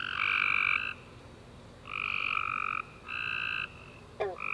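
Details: After a rainy summer day, tree frogs sing in the dark with harmonic trilled notes under a second long, spaced by brief pauses, plus a short descending chirp near the end.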